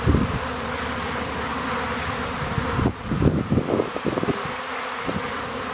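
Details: April swarming of honey bees on blooming rapeseed in Ariège, France: thick layered buzzing throughout, several individual bees flying close past the microphone midway, producing rougher low pulses over the constant hum.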